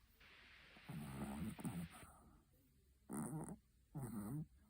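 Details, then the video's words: Betty, a Chihuahua, snoring in her sleep: a long rasping breath followed by two shorter, buzzy snorts about a second apart, low and throaty, in a quiet room. "Как храпит Чихуахуа Бетти"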